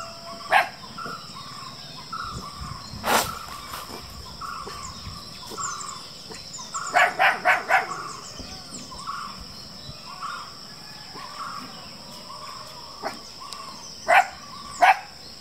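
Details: Black Groenendael (Belgian Shepherd) puppies in Attapady, Kerala, react to a bark and growl from afar by coming forward rather than hiding. They give short, sharp yapping barks, one burst of four quick yips in a row.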